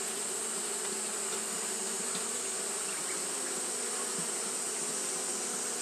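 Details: Steady buzzing of Japanese honey bees kept up in fanning behaviour during hot weather; a thick, level drone of many wings with a bright constant hiss overhead.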